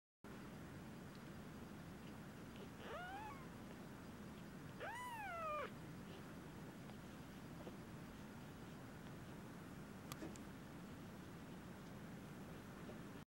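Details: Eight-day-old kittens giving two thin, high mewing cries, the first near three seconds and a louder, falling second one near five seconds, over a steady low hum with otherwise little sound.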